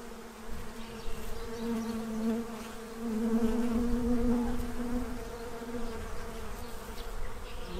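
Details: Honey-gathering style buzzing of bees feeding to prepare for winter in Central Illinois, a steady low hum that swells to a louder, nearer drone midway before easing off.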